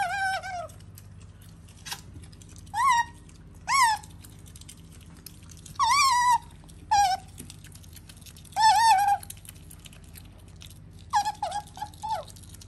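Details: Female pet otter Sakura calls indoors in separate short, wavering harmonic bursts with long silences between, ending in a quick cluster of choppy, falling chirps.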